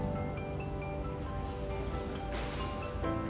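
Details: Soft tinkling mallet-percussion music plays with a low background hum, and no animal voice is heard.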